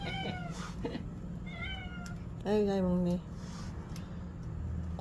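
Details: Pet cat meowing in the evening while being fed, three drawn-out meows in quick succession, the last one loudest and longest with a wavering tone, against a low background hum and faint human voices.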